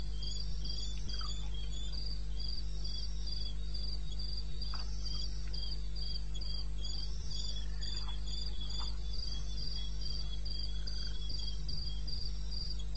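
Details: Cricket in eastern Botswana wilderness, 2:30 am, 21 May: continuous shrill chirping repeated almost four times a second, scattered short insect-like blips, and a steady low rumble behind.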